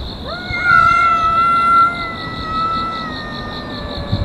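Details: A feud of more than a year between cats living in a park: a loud, sustained, rising then level yowl with rich overtones swelling for about a second and a half before tapering into a long moan, with insects buzzing steadily behind.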